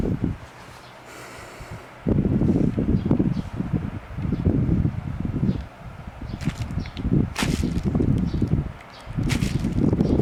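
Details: Shiba Inu named Eri, asleep in summer with her eyes open, snoring loudly: rough, low, rasping bursts about a second long, coming in a loose rhythm with short pauses, plus a few sharp knocks.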